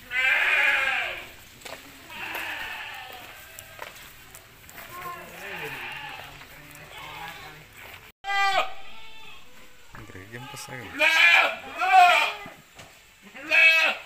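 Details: Jumbo Peranakan Etawah goats on a goat farm, several quavering, wavering bleats repeated through the clip, some overlapping, with a man talking between calls.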